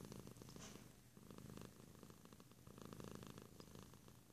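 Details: Domestic cat purring close up; a soft, continuous low rumble made of rapid even pulses, swelling and easing slightly with each breath, quiet throughout with no other sounds.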